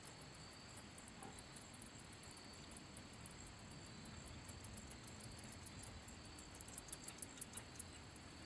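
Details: A handsome meadow katydid (Orchelimum pulchellum) sings by rubbing its wings, making rapid, very high, scratchy ticks in quick bursts that grow sharper toward the end, over a steady low rumble like distant traffic or wind.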